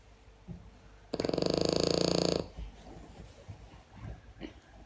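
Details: French Bulldog. A French Bulldog lets out a single loud snore, a coarse, fluttering rattle that holds for about a second and a half. Soft, faint breaths and small snuffles follow in a quiet room.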